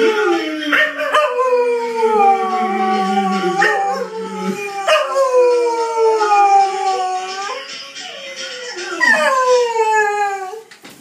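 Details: Cocker Spaniel howling again in a series of long, mournful, gliding tones. Each begins high and slides slowly downward, with short breaks between the phrases and a wavering pitch throughout.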